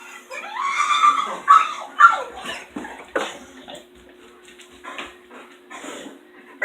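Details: Female dog left alone in the house after two other dogs leave, making odd vocal noises: a run of loud rising and falling whines and yips in quick bursts, fading to softer whimpers, with a steady low hum behind.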